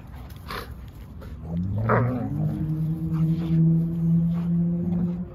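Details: Sable female German Shepherd playing with her friend: a drawn-out, nasal whining call that starts after a couple of soft noises, rises slightly and holds a steady tone for several seconds.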